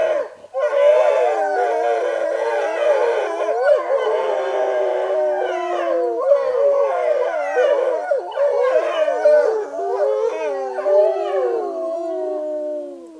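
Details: Several gray wolves, recorded by a camera trap in forest, howl together in long wavering tones sliding up and down over one another.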